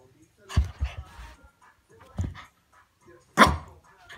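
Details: Shih Tzu dog going crazy, barking in loud, sharp bursts: a pair of quick barks, a pause, another bark near the middle, then a harsh, forceful bark near the end, with short quiet gaps between them.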